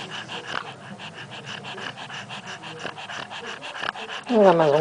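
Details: Rhythmic snorting breaths from Mortadela, a dog snoring while awake, run for about four seconds before a louder wavering whine with a falling pitch closes the recording.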